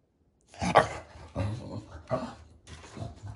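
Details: English Bulldog puppy indoors, vocalizing because it wants something from the table: four short, rough, grumbling bursts about every 0.7 seconds, with a woman's voice scolding it soon after.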